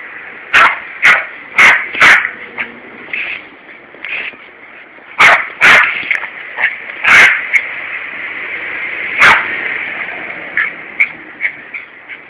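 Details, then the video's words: A Yorkshire terrier named Larry fights the hosepipe while his owner waters a Corby lawn on a warm summer day. Clusters of shrill barks alternate with quieter yips, all over a constant high-pitched hiss. "Larry's Turf War - Yorkshire Terrier Vs Hosepipe"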